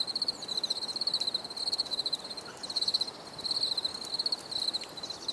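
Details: High, pulsed cricket trills repeat in short bursts about every half second to second, bright and regular, with soft ambient hiss beneath.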